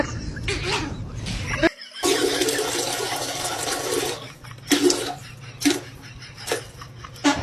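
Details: Toilet flushing and running water fill the room, with brief speech and bursts of laughter between splashes.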